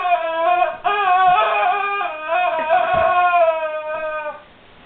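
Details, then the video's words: Guard dog whining over a squeaky toy it does not know what to make of, producing a long, steady, high-pitched tonal whine with slight wavering and strong overtones, fading out at the very end. "Guard Dog Whimpers over Squeaky Toy"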